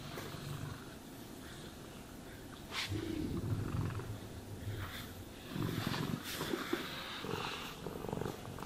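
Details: Purring cat being groomed with a brush: a deep pulsing rumble, strongest in bursts after the third and fifth seconds, overlaid by sharp brushing strokes through the fur.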